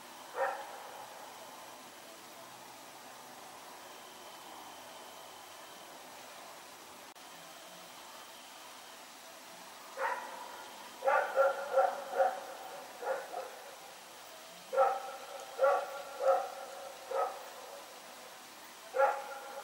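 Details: Night barking by Rex, a dog running around, recorded September 21, 2018: a lone bark, a long quiet pause, then a rapid series of about ten clipped barks in bursts toward the end, over faint constant hum.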